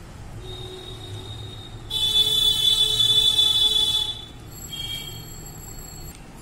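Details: Flat electronic horn or alarm tones sound over low street rumble, with a louder two-second blast in the middle and shorter beeps after it; no animal voice is heard.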